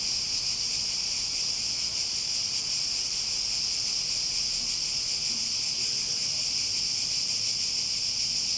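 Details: Cicadas keep up an unbroken, sizzling buzz at even volume, with a faint quiet low murmur in the background.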